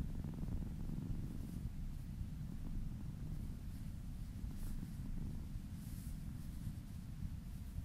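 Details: Purring kitten during a relaxing massage, a low, even rumble held throughout with soft faint rustles above it.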